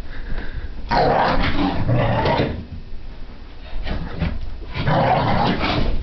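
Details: Indoors, Brittany spaniel puppy Sophie mid-frap, a frantic burst of play to burn off energy; a long throaty growl with harsh edges runs for over a second, pauses, then resumes amid scrabbling.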